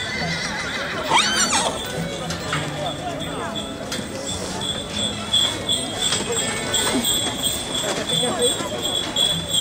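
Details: Horse at the 2011 horse fair in Trofa giving one shrill, wavering whinny early on, its tones sweeping up and down, over steady crowd chatter, clip-clopping hooves and faint background music.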